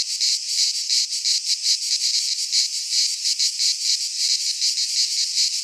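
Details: Cicadas of a Greek pine forest singing in midsummer: an intense high-pitched sizzling buzz, pulsing quickly in even throbs, steady from start to finish.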